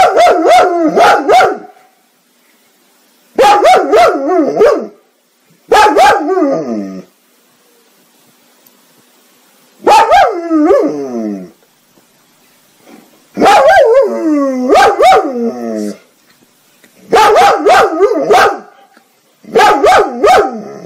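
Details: Domestic dog in a funny compilation, barking in loud bursts of three to four rapid barks, each burst separated by pauses of one to two seconds, with harmonic, slightly howling tones between barks.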